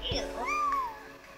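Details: Blue-eyed kitten, probably barely 2 weeks old, indoors in the dark under a camera light, gives a thin, high meow that rises then slides down, with people talking nearby; domestic cat kitten.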